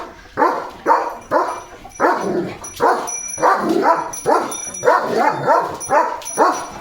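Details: Leo, a pet German Shepherd, barks as rain comes; rapid, rough barks repeat about twice per second in a steady run, some with a whiny edge, over faint background hiss.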